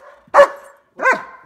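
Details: Odin, a German Shepherd dog, excited during snow flurries and wanting to go outside, gives two short, loud tonal yelping barks about two thirds of a second apart, with quiet background between them.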